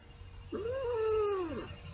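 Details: Seven-year-old female pet cat, held indoors, 'singing' along as her owner sings Rudolph the Red-Nosed Reindeer: one drawn-out tonal meow about a second long, rising then sagging slightly, with faint room hum behind.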